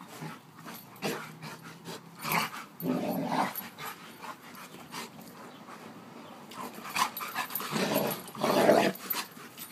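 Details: Alaskan Malamute making several short, gruff, mid-pitched vocal bursts spread over about ten seconds, with clicks and shuffling noises in between.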